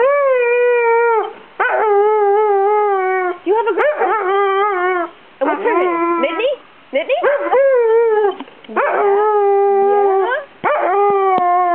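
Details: Before a photo session, an English Springer Spaniel vocalises at its owner in a long run of whiny, sing-song howls, sliding and wobbling in pitch and broken into phrases of one to two seconds with brief pauses.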